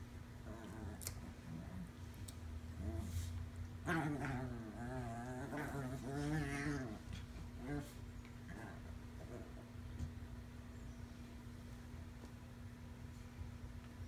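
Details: Chihuahua Davie Jones plays with a toy alongside Lucille, a fearful five-month-old rescued puppy, indoors. A run of quavering, harmonic growls lasts about three seconds in the middle, flanked by scattered taps and thumps, with a constant electrical hum behind.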